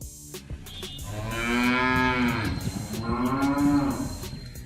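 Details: A village cow gives a long, steady moo that swells and fades, then a second shorter moo, both rich in overtones, over a light background hiss.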